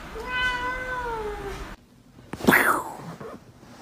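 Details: Kitten from a compilation of baby cats: one long tonal meow lasting over a second, steady then gently falling in pitch with rich harmonics, followed after a pause by a sharp noisy burst and faint room sounds.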